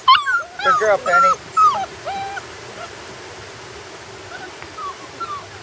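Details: Puppies on their first day outside whimpering in a burst of high, wavering tonal cries during the first two seconds, then fainter scattered whines, with a quiet outdoor background.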